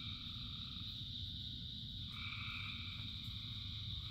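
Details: Frogs singing in rain as part of a chorus of thousands: a steady high trilling drone over a low rumble of rainfall, with a lower two-toned croak joining midway and holding to the end.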